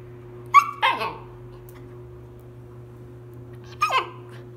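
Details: A 90-day-old Siberian Husky puppy gives two bursts of high yelping whines, each sliding sharply downward, about three seconds apart, with quiet gaps and a steady low electrical hum beneath.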